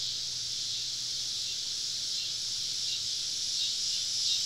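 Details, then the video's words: A summer-evening cicada chorus surrounding campers deep in the woods: an even, hissing high-pitched drone with no clear breaks, slightly softer, plus a faint low hum underneath. "Southern Evening Summer Cicada Symphony"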